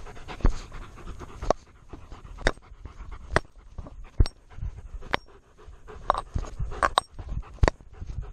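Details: Chest-mounted GoPro on Tonka, a male Alaskan Malamute, picks up close heavy panting in low rhythmic puffs, punctuated roughly every second by loud clacks and thumps against the camera.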